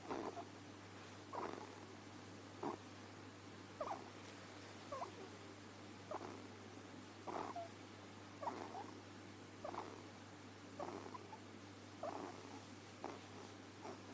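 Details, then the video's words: Deamon, a pet ferret, snoring: soft, breathy snorts repeat steadily at roughly one per second over a low, constant indoor hum, with no other voices or sounds. "Deamon The Talking Ferret, snoring"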